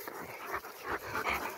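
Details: Two Rottweilers coming down a tower, with rhythmic breathy panting bursts roughly every 0.4 seconds over a short indoor stretch and no other clear sounds.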